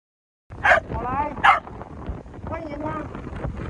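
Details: Corgi at a dog meetup on Zhuwei Pig Nose beach in Taoyuan, 4 June 2022, giving two sharp, loud barks about a second apart, followed by people talking nearby.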